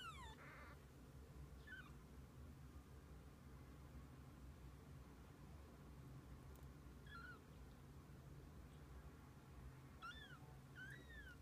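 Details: A mother cat and her kittens spending the day together: short, high, descending meows at the start and scattered again near the end, sometimes two close together, over a constant low hum.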